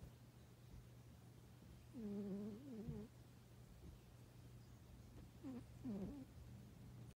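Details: Cat snoring with an uneven rhythm: a longer wavering nasal breath followed by a couple of shorter ones several seconds later, against a low steady hum.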